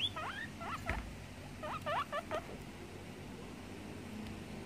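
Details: A guinea pig gives short, sharp squeaks, each a quick sweeping chirp, in two small clusters within the first few seconds, then quiet room background.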